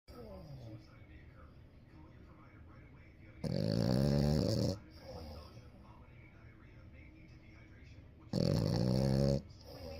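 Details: Sleeping 7-month-old French Bulldog puppy snoring loudly: soft breathing punctuated by two long, rasping, throaty snores, each lasting about a second, roughly five seconds apart.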